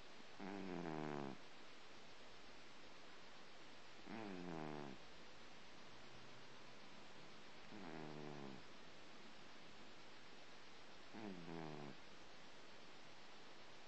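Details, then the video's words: Cat snoring after its breakfast: four rasping, pulsed snores, each about a second long, repeated roughly every three and a half seconds over a steady low background hiss. "Snoring cat"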